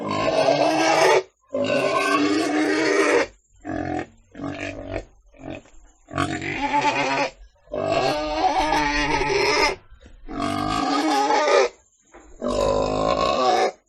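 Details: Pig squealing in a rapid series of harsh bursts, some long and wavering, others short and choppy, with brief gaps between them across roughly fourteen seconds.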